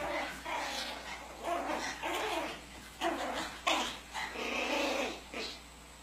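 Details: Pomeranians in a family group yap in a busy run of short, bright bursts that follow one another almost without pause.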